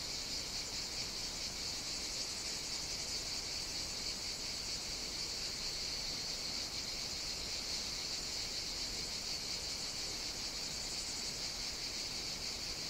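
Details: Cicadas singing on a hot summer day on the Greek island of Evia, Mediterranean; a continuous, dense, high-pitched buzzing drone from many insects, steady throughout without pauses.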